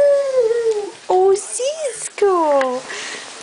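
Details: Cisco, a foster dog, howling with joy: several long, tonal howls with rich harmonics, each sliding downward in pitch, separated by short pauses, with a brief rising-falling note between them.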